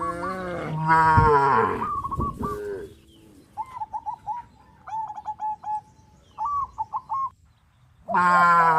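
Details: In a field of tame cows crowding and jumping about, one long harmonic moo opens, then clusters of short chirping calls, before a fresh moo starts at the end.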